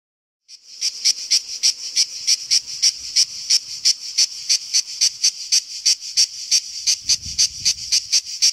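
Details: A cicada fills the summer air with a shrill, deafening, hissing buzz pulsing about three times a second; a faint low rumble passes briefly near the end.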